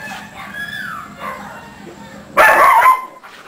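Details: One of three pet dogs, named Her, Maxx and Skike, gives a short loud yelping bark near the end, after a thin falling whine and some soft muffled sounds early on.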